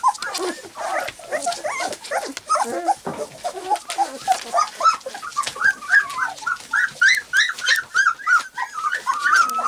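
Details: Three-week-old white English cream golden retriever puppies, walking, playing and trying out their barks, give a rapid, overlapping stream of high, squeaky yips and thin little barks.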